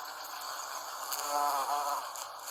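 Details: American bumblebee pollinating Salvia clevelandii flowers: a steady droning buzz with a bright harmonic band, swelling louder near the middle, then easing slightly.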